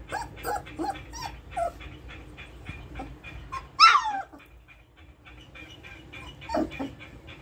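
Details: Three-week-old Golden Retriever puppies in Jaipur, giving a run of short high whimpers and squeaks with one louder rising yelp near the middle and a quieter cry toward the end, over a soft room background.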